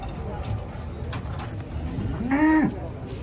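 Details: Old, skinny cow reduced to skin and bones utters a brief moo near the end that holds steady and then drops sharply, following quiet talking and background noise.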